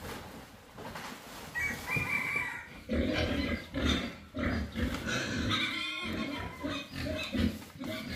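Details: Farm pigs in a disinfected barn restocked with piglets after an African swine fever outbreak; a brief high squeal near two seconds, then a steady run of deep, pulsing grunts with scattered snuffles.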